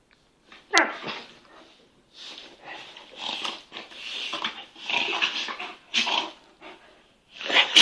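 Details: Two kangal dogs playing indoors, an eight-month-old full kangal puppy with a smaller cross kangal; bursts of rough, breathy growling and snarling come in irregular clusters with short pauses, some sharper yelps between.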